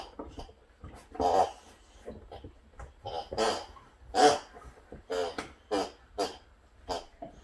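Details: Boxer Sammie or Rex, one of two indoor boxers interrupting home work: a long run of snorting, grunting and whining bursts roughly every half second to second, some loud and rough, in a small echoey room.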